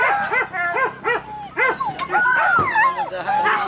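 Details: Hunting dog during a traditional wild boar hunt in the Minangkabau area of West Sumatra, Indonesia, gives quick, repeated yelping barks about every half second. Higher, drawn-out whining yelps follow.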